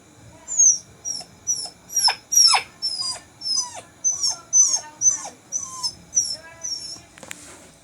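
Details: Bittu, the only surviving puppy of a litter, sick and under homeopathic treatment, cries indoors, afraid to go outside alone; high thin whimpers repeated about twice a second, some sliding sharply downward, with faint background hiss.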